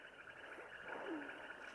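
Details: Frogs at Lake Ypacaraí call in a loud, steady, buzzing chorus, with one lower croak sliding downward.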